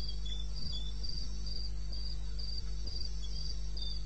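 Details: African crickets calling at 2:30 a.m. in the wilderness of eastern Botswana on 21 May '16: bright, high chirps spaced evenly about every third of a second, backed by a low droning hum and a few soft knocks.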